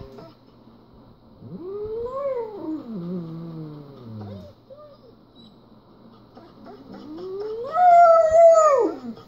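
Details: A German Shepherd gives two long, wavering howls that swell upward and then slide slowly down while watching a video of another German Shepherd riding in a car.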